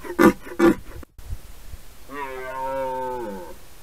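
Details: Red deer during the rut: two short loud broadband bursts, then a drawn-out harmonic roar of about one and a half seconds, steady in pitch and slightly falling at the end.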